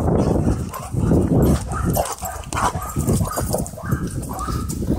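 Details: Dogs playing and wrestling together at a dog park: rough, low growling and grumbling noises with short whining tones, rising and falling in loudness, while a person tells a dog to drop it.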